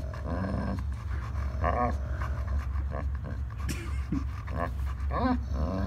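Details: German Shepherd and Pitbull, two dogs, contesting a toy in play, the German Shepherd growling: low rumbling growls with panting and short whining yelps, repeated bursts over six seconds, a person speaking in the background.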